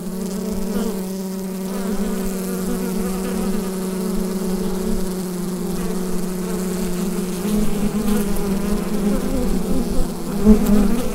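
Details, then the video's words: Humming colony of bees in their hive, Rode NT-USB microphone; a low, unbroken buzz whose pitch wavers slightly, growing louder and rougher over the final few seconds. "Bee Hive Sound Effect"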